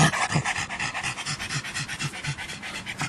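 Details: Pug panting at a dog park, a rapid rhythmic run of breathy huffs, about three per second, steady throughout with faint background hiss.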